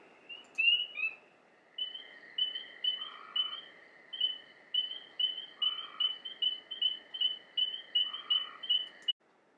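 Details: Spring peepers calling at a vernal pool in rainy spring weather, around May 1, giving high, clear, slightly rising peeps repeated rapidly in a chorus.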